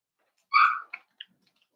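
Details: A four-week-old Cavalier King Charles Spaniel puppy from Daisy's litter, penned indoors, gives one loud, clear, slightly falling whine followed by two quick, softer yips.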